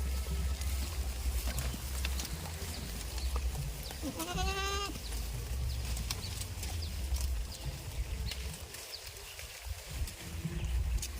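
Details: Goat on a village goat farm giving a single wavering, tremulous bleat lasting under a second, rich in stacked harmonics, over a steady low rumble with scattered clicks and knocks.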